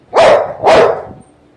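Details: Pet Rottweiler indoors, described as unusually playful and mischievous, barks twice in quick succession, loud and broad with a tonal middle, about half a second apart, then quiet room.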